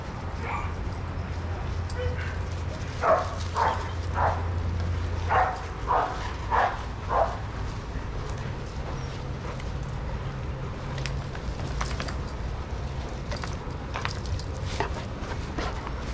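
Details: Adoptable shelter dogs playing together at daycare; a burst of about seven short, sharp barks, several per second, between three and seven seconds in, then quieter scattered sounds over a steady low hum.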